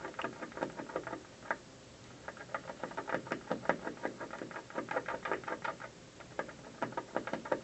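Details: On an office windowsill one afternoon, a squirrel gnaws the building almost without pause, its dry crunching bites coming in rapid uneven trains of roughly three per second, with a brief lull midway.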